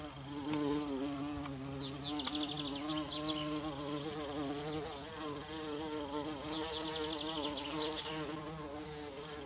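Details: A bumblebee hums with a low, steady, gently wavering buzz near wild violas in a forest, while birds twitter faintly behind it.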